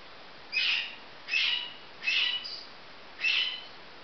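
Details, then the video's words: Baby marmosets calling: four short high, slightly harsh whistled chirps, each about a third of a second, spaced roughly a second apart over a steady background hiss. "Marmoset babies"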